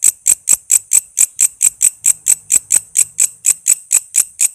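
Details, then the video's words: Crisp, very high-pitched pulses of a walang kece cicada, roughly two each second and evenly spaced, recorded as a master sound for training murai, lovebird, cucak ijo and kacer. "Suara walang kece gacor buat masteran murai,love bird,cucak ijo,kacer dan burung ocehan lainya."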